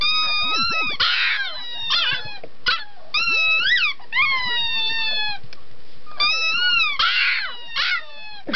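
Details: Puppy 'singing': a run of high, wavering howls that slide up and down in pitch, some drawn out and some clipped short, almost continuous across the stretch with brief breaks.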